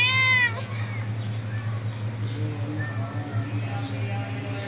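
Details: Domestic cats, a tabby attacking a ginger cat: one loud, clear meow in the first half-second, then only a steady low hum and faint murmurs.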